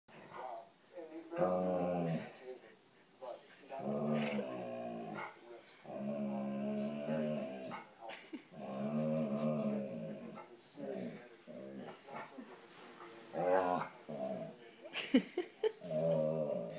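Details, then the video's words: Alaskan Malamute talking to the TV: a run of drawn-out, rising and falling woo-woo vocal sounds, each one to two seconds long with short pauses, plus quieter background sounds that may be TV audio. "the Malamute talks to the TV"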